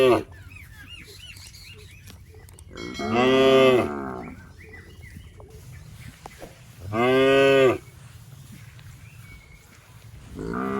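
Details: Plump, tame cows grazing grass in a rice field: deep, resonant moos about every four seconds, each around a second long and steady in pitch, with brief high chirping early on and low background music.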